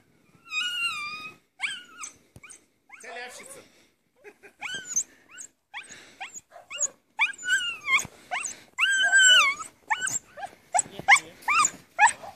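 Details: Russian Spaniel playing in snow and eating snowballs: a run of high, clear whining yelps with strong overtones, some rising then falling, others short and clipped, coming in irregular bursts with brief pauses between them.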